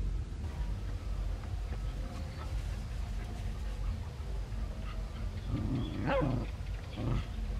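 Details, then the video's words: Dogs playing near home in Cambodia; after a long stretch of low rumbling background, one sharp bark rings out about six seconds in, followed by a second, shorter bark. "Lovely dogs barking"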